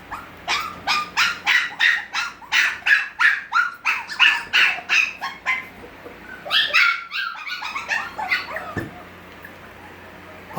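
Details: Gracie's Havanese puppies at six weeks cry insistently: high, harsh yips repeat about three per second for six seconds, then a brief pause gives way to a tangle of higher whining cries from several pups.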